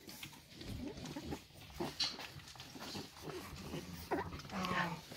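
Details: Five-week-old Staffordshire Bull Terrier puppies from the 54th litter at Staffordland, with their mother Rubis, filmed on 2 December 2023 while eating; brief high thin squeaks and whines rise over a bed of lapping and shuffling noise, with a woman talking softly.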